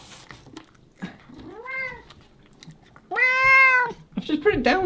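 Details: Sushi, an 8-year-old female Bengal cat who has been chasing her tail on a high climbing shelf indoors, gives two clear, arching meows, the second long and drawn out.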